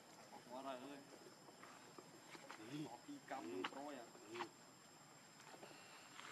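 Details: Infant monkey Leo crying for milk from its mother: brief harmonic wails with trembling, bent pitch at the start and around the middle, separated by quieter rustles and clicks, a thin steady hum throughout.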